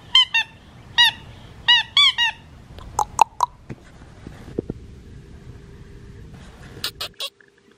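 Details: Blue merle Australian Shepherd puppy, male, four and a half weeks old, Matilda and Jackson's litter: paired high-pitched yelps repeated about once a second, then a quiet stretch of clicks and rustling before one last squeal.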